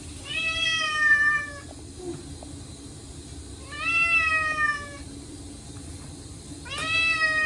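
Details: Three loud drawn-out meows, roughly three seconds apart, each rising briefly then sliding slightly lower, from Chacha, a short-legged male Munchkin cat crying out during his yearly indoor bath on a hot day; steady water-like hiss beneath.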